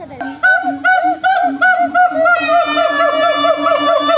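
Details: Monkeys calling back and forth: pulsed arched whoops over a low hooting note at first, merging into a steady, loud overlapping chorus of wavering calls.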